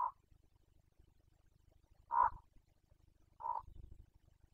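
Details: Carpathian stag in the 2021 rut in Bucovina, its boncănit heard as three strong, rough grunts about one to one and a half seconds apart, each short and throaty with a deep rumbling undertone.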